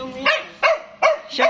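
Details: Stud Siberian Husky near a chow giving four quick barks roughly every 0.4 seconds, each a short harmonic burst with a steady mid-pitched tone, over a quiet background.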